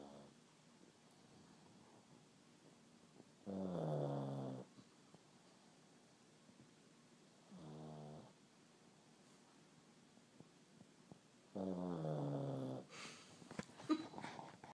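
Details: Pug dog snoring while asleep, three loud rasping, throaty snores with a buzzy harmonic tone spaced about four seconds apart over a quiet background, followed by rustling and clicking at the end.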